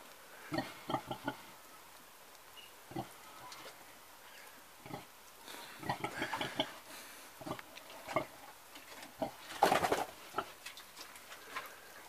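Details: Soft, scattered grunts from an old pig, short and breathy, spread irregularly across the recording, with a louder rustling or snuffling burst near ten seconds.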